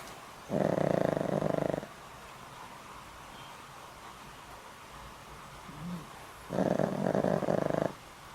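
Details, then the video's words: Sleeping pet dog Boram, aged over twenty and medicated for a heart condition, gives two hoarse rattling snores about six seconds apart, each roughly one and a half seconds long, with quiet breathing between. "강아지 코고는 소리~! 코골이가 우렁차요~!"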